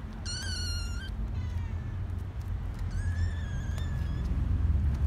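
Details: Kittens mewing: two high, harmonic-rich meows, the first steady and about a second long near 0.3 s, the second longer and slightly wavering from 3 s, over a constant low rumbling background hum.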